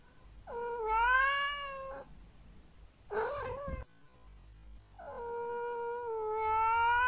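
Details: Pet cat giving long drawn-out tonal meows that rise and waver like a whine, with a short harsher broken call in between; three vocalizations across about seven seconds in a quiet room.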